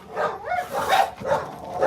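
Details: Several American Bully dogs going crazy with excitement as someone walks in; rough, overlapping barks in repeated bursts across the clip, with a bit of human voice.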